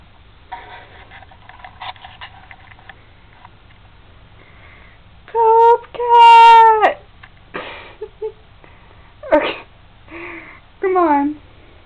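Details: Crispin, a kitten staying indoors at a house while a home is found for him, gives several loud drawn-out meows with clear harmonic bands, some rising then falling, between short bursts of human speech.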